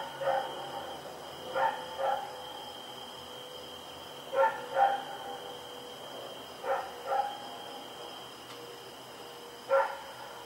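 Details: Rex, a dog running around at night, barking on Oct 7, 2018: short sharp barks in pairs, spaced two to three seconds apart, over a steady high electrical hum.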